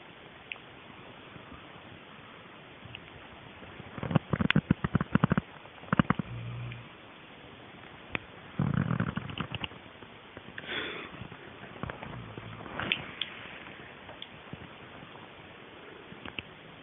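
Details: Sheila, a sleeping dog, snoring: low, rumbling, breathy bursts recurring roughly every two seconds, strongest midway through, then softer snorts fading toward the end against a quiet indoor background.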